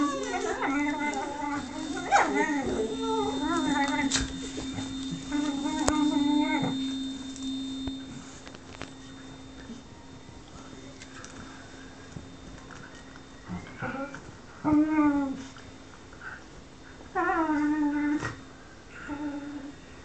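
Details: Lux the whippet pleads for attention that is being withheld with long, howling, tremulous whines in two bursts separated by a quiet stretch, then shorter whimpers; a faint steady hum sits beneath throughout.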